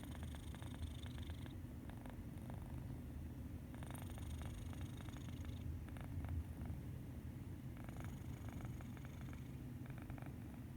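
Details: Medi Cat, a domestic cat, snores while sleeping peacefully: a deep, even rumble throughout, with breathy upper hisses at about one, four, six and eight seconds.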